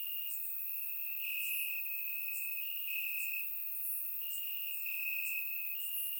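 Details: Summer-night crickets in Bulgarian grassland, a sustained high trill rising and falling slightly in segments about a second long, backed by regular faint higher chirps from other insects.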